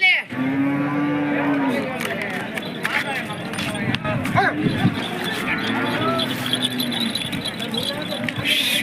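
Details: Hallikar cattle at the weekly Monday cattle market at KG Temple, India, giving long steady low moos, one lasting nearly two seconds and another later, amid crowd chatter and clatter.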